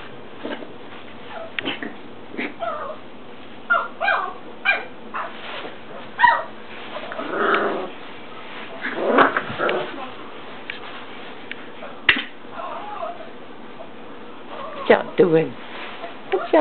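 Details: Four-week-old English Mastiff puppies playing indoors give repeated short yips, squeaky whines and rough little growls, scattered irregularly through the stretch, with a low hum behind.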